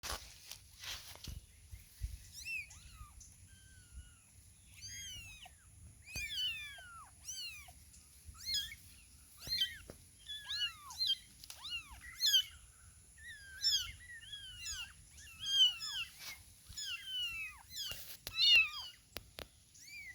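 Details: Several small kittens with their mother, meowing constantly and overlapping, all calling at once; high, thin arched mews, many per second in bursts, with a steady faint high whine in the background and no music.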